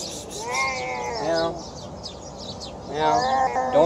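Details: Feral stray cat calling out in hunger at feeding time: a pair of strained, rising-then-falling meows with a brief pause between, set against faint high chirps outdoors.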